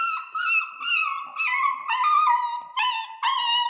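A Central Asian Shepherd puppy howls in a series of high, wavering, whine-like notes.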